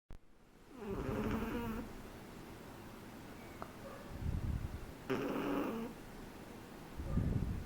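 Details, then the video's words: A three-month-old Shih Tzu puppy snoring while asleep: two buzzy, harmonic inhaling snores near one and five seconds, with soft low rumbling breaths between them and at the end. "SHIH TZU roncando"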